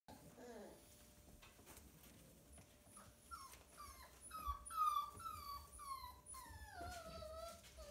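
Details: Siberian Husky puppies, six littermates born 30 January 2020 at a breeder in Hamamatsu, Shizuoka, Japan, jostling to nurse. A quiet indoor murmur gives way to a rapid run of high, whiny squeals, each sliding downward in pitch.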